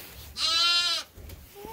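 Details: A bottle-fed lamb on a sheep farm, indoors in winter, sent off to find its mother; one loud, wavering bleat lasting under a second, followed by quieter barn sounds and a soft distant call.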